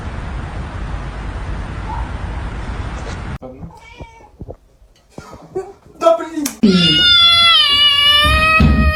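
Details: House cat giving a long, steady, loud meow lasting over two seconds after quieter background noise, a few short clicks and voices, with speech nearby.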